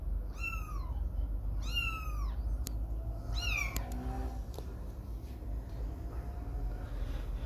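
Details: Little kitten staying away from its mother for the first time while playing and walking; three high, downward-curving meows in quick succession, then faint tapping and a soft tonal hum against a low background rumble.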